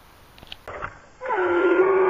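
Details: Upset donkey wanting out, giving a loud bray: after faint scuffling, a sustained, harmonic, groaning tone rises in and holds steady for about a second at the end.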